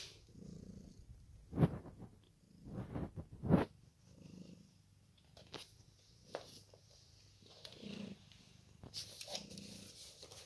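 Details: Two Ragdoll cats, blue point, indoors on a lazy day; soft low purring in rhythmic pulses, with a few louder broadband bursts of rustling and handling noise.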